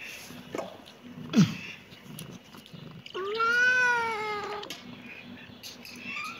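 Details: One long, loud kitten meow of about one and a half seconds, arched in pitch with strong harmonics, preceded by a few soft knocks and shuffles, over a low hum.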